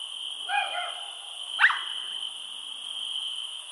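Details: A steady, high-pitched chorus of many crickets trilling without pause, recorded outdoors after dark in summer near tall cornfields and weeds, with dogs also heard; crickets are plentiful at this time of year.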